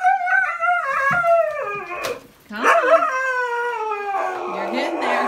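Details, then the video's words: Stubborn pet husky protesting against going for a walk, giving long, wavering, talkative howls that rise and fall in pitch, broken by a short pause, with a person's voice faintly mixed in. "Husky terco muestra un lado dramático mientras protesta por caminar"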